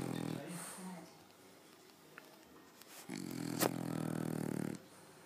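A French Bulldog snores with a low, buzzy rattle that swells for over a second.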